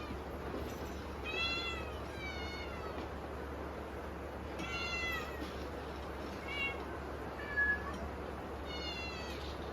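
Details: Several hungry kittens meowing for dinner on a stormy typhoon evening; repeated high, tonal meows, some doubled in quick pairs, sounding every second or two through a continuous wash of rain.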